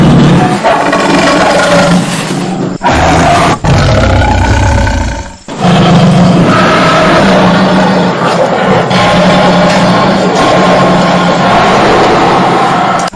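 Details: A tiger gives drawn-out, harsh, deep roars that run almost unbroken, with brief breaks near three and five seconds before a long final stretch of roaring.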